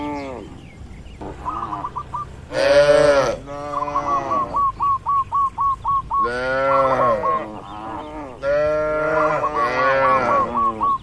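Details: Tame cattle in a crowded farm pen: after a quiet start, a loud harsh moo breaks out, then a rapid run of short clipped high notes, followed by more long overlapping lowing calls from several animals.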